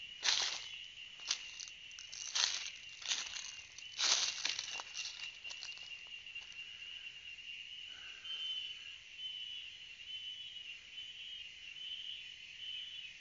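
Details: Cicadas singing: a steady, shrill, high buzzing drone that holds unbroken for the whole stretch, with crackling rustles and footstep-like patter over the first six seconds.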